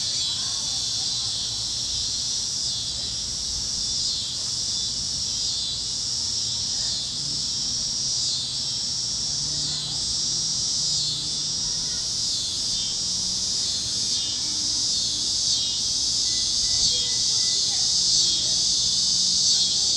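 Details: Warm evening sunset over Kansas fields: cicadas chirping in a steady, piercing high-pitched drone with small rhythmic waverings, joined by soft low chirps of other critters.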